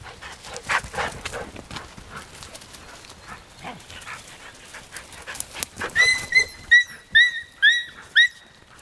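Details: Nine-week-old puppies playing with dogs Arija and Nallo in an exercise yard; after scuffling and soft growls, a series of high, sharp puppy yelps repeats about every half second near the end.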